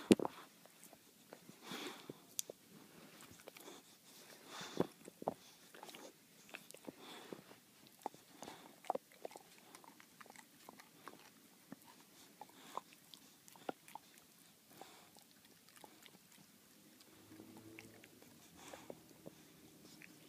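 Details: Boxer named Baxter working steadily at a bully bone, a long run of dense crunching and biting clicks, some louder bursts in between, with soft low hum near the end.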